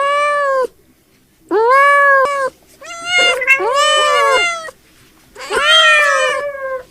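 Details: Domestic cat making a call said to sound like laughing: long harmonic meows with a bent, wavering pitch, in four drawn-out bursts separated by short silences, indoors.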